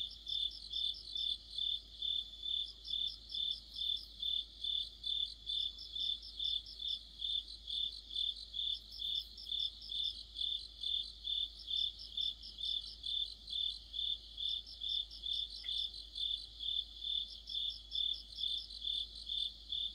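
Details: In the middle of autumn, crickets and companion insects form a dense chorus; a regular high chirp beats about twice each second while rapid higher trills return every few seconds.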